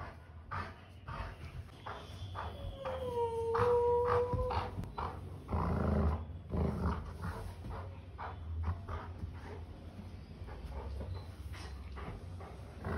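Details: A male Golden Retriever gives a drawn-out, slightly wavering whine as he mischievously wakes his sleeping human sister in the morning, careful not to bite; his usual wake-up routine.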